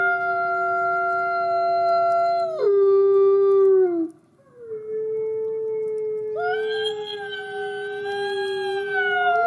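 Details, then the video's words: White wolf howling in the snow: long, level tonal howls, one voice dropping and sliding downward, a brief near-silent break, then renewed overlapping howls holding steady, bright overtoned pitches. "ذئب ابيض يعوي اثناء الثلج"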